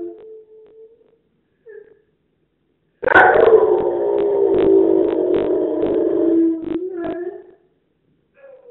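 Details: Domestic dog gives a short, feeble howl: after a few soft whimpers, one sustained howl starts high and slides down to a steady, level tone for about three seconds before fading, then a faint whine follows.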